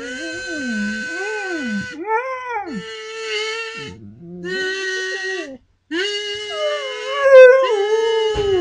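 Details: Domestic dog singing with a kazoo played by its owner: arching, swooping howls that rise and fall in pitch, alternating with steadier buzzy kazoo notes, ending in a long wavering howl.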